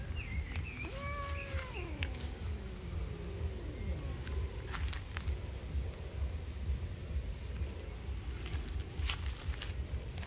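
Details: Cat in a tree, angry, letting out a couple of bending, harmonic-rich meows early on, then quiet; afterwards only rustling, clicks and faint bird chirps over a heavy low background rumble.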